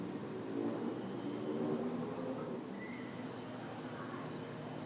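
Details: Summer night insect chorus of crickets and cicadas in a backyard in the city, hot and humid; rapid high pulsing chirps over a constant ringing drone, with low rumbling traffic noise in the background.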